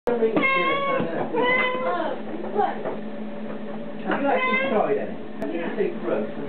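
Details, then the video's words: A young Siamese kitten talks in a run of clear, harmonic meows. Some bend upward, others slide down, and they come in bursts about a second apart, with a brief pause between groups. The setting is an indoor room with faint human voices. "Our crazy Siamese kitten talking"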